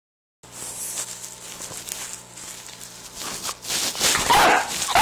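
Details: A hungry, annoyed female Staffordshire Bull Terrier puppy 'talking' to ask for food. Breathy whines and grumbling vocal sounds build and grow louder toward the end, with a steady low hum in the background.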